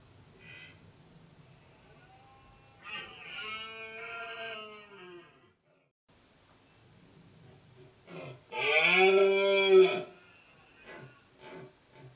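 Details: Autumn rut of red deer, Sierra del Relumbrar, Albacete, October 2016: a stag lets out a moaning roar, falls silent, then bellows louder in a strained, arching roar of about two seconds, with short grunts trailing after.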